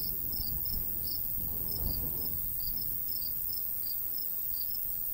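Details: Summertime countryside crickets beside a golden wheat field give quick high chirps, roughly three per second and unevenly spaced, with a light breeze murmuring low underneath.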